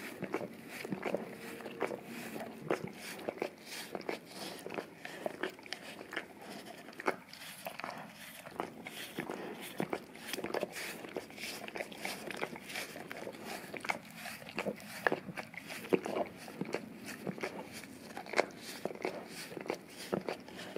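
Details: English cream golden retriever, male, licks a peanut-butter-covered Orapup brush taped down on tile to clean his tongue and breath; busy irregular wet laps and clicks indoors, with brief faint murmurs in the background.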